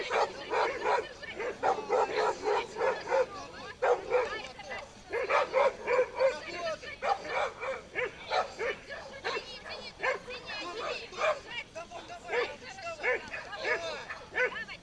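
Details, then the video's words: Pit bull straining at a tug-of-war toy, barking almost nonstop for fifteen seconds: fast, uneven series of short harmonic yelps and barks, now dense, now spaced, with slight whining glides between bursts. "питбуль шоу: перетяжка 2"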